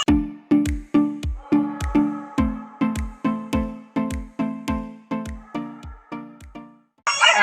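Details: Bright struck notes repeat about twice a second in a simple children's-style tune, each ringing out and fading before the next. A short, harsh burst of sound cuts in at the very end, and no animal call is heard.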